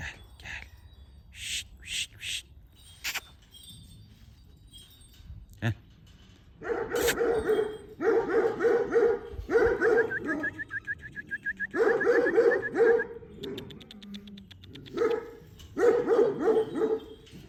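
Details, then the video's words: Female Kangal dogs bred by their keepers; after a few seconds of scattered knocks and clatter, bursts of rapid, harsh barking start, coming in clusters separated by short pauses, with a brief whine in between. "KANGAL DİŞİLERİMİZ"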